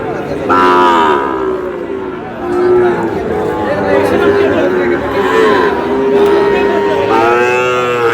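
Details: Sahiwal bull calves being bought by a farmer from Natore: a loud, drawn-out harmonic moo rises near the start, a second bellow follows near the end, and busy human chatter runs throughout.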